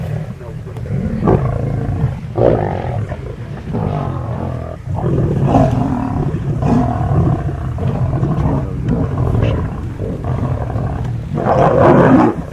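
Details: Wild lions of a large pride feeding on a kill, recorded from some distance: rough, overlapping low growls and snarls in uneven bursts, swelling into a loud harsh snarl toward the end.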